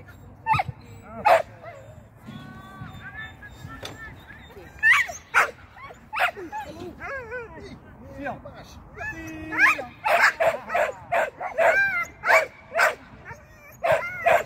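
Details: Shetland sheepdog during agility training, its first seesaw flyer and first time through the tunnel: sharp, high barks scattered through the recording, bunched toward the end, mixed with wavering whines, people talking and laughter, and brief music.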